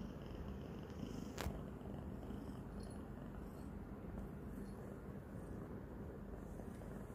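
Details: Female domestic kitten, three days into her new home, licking and biting a person's hand while purring loudly; a steady, low, rumbling purr runs throughout, broken by one sharp click near the middle.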